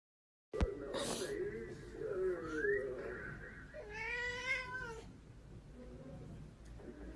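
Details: Pet cat meowing indoors amid a woman's speech: a rising whine early on, then a longer wavering meow near the middle, over low room noise.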